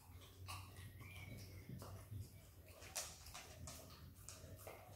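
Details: Izzy, an Australian Kelpie x Border Collie puppy, licks and eats peanut butter indoors, wet smacking clicks coming in quick irregular bursts over a low steady hum.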